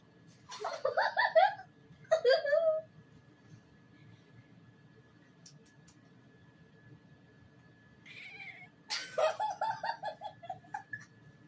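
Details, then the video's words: Cat making funny sounds, loud bursts of rapid, stuttering meows, choppy, pulsing cries repeated in quick clusters, with two bursts early, then a pause, then a longer chattering run; low hum in the background. "Kitty makes funny sounds"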